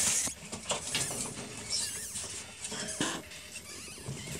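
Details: Newborn ferret kits only a few hours old, heard in a workshop: faint, thin, high-pitched squeaks rising and falling, mixed with scattered rustling clicks and soft pattering.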